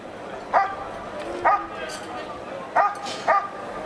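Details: At the NIAK 2017 trial, a dog doing protection work, scored 93 points, gives four short, forceful barks, two early and two late, with background voices between them.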